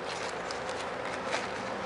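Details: Honey bees buzzing as a hive is opened for inspection after four days of rain, with many dead bees in front and a check for sickness; a steady, dense, broad hum without breaks.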